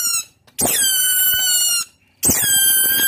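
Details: Otter calling its companions, used as a lure sound: two long, loud, squeaky squeals, each about a second long, starting high and sliding down into a steady, harmonically rich whistle, with a quiet pause between them.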